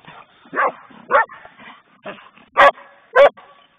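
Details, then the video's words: Playing poodles yap in short, bright barks, five sharp bursts roughly every half second, the last two loudest, over soft scuffling. "playing poodles"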